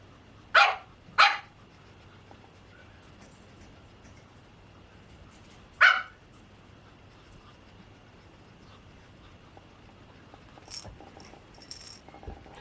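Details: Pomeranian puppies, white and cream, at a breeder: two quick high yapping barks close together, a third a few seconds later, then faint shuffling and light knocks in a quiet indoor room.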